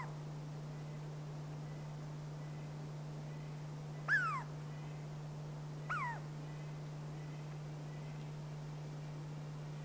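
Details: Douglas squirrel, also called Chickaree or Pine Squirrel, of the Pacific Northwest: two sharp, downward-slurring harmonic calls about two seconds apart, standing out over a steady low hum.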